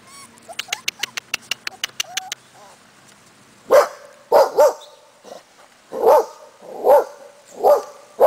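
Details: A Cardigan Welsh Corgi mother with her four-week-old puppies outdoors in Sweden: a rapid series of sharp clicks and a small squeak, then deeper, loud barks repeated about once every second.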